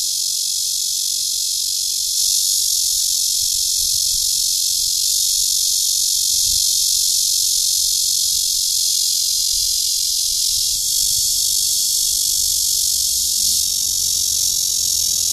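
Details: Steady, intense buzzing of a Cryptotympana holsti cicada in a mating call, Guangming Park, Zhongli, Taiwan, 28 June 2013; the high whirring drone runs continuously with slight swells in strength, with faint low rumble beneath.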